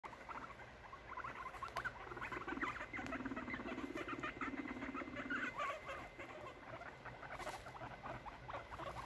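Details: Three six-month-old male guinea pigs fighting in a cage late at night; rapid dense chattering and scrabbling clicks run throughout, with a steady low rumbling hum in the middle.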